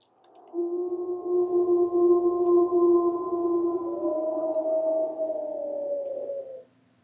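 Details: Two wild gray wolves, one the female 97F, recorded inside or outside Yellowstone, howl together at a rival with long, steady, low overlapping tones, one sliding higher midway.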